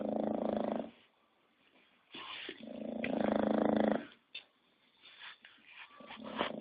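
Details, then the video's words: An English Bulldog snores in two long, gravelly, vibrating pulls about three seconds apart, followed by faint nasal snuffles. "Bulldog Inglés ñoño Roncando"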